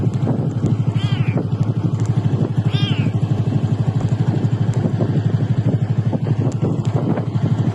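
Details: Callie, a tiny rescued calico kitten found alone in the middle of a road, gives two thin, high meows that rise and fall, about two seconds apart, over a loud, steady engine rumble.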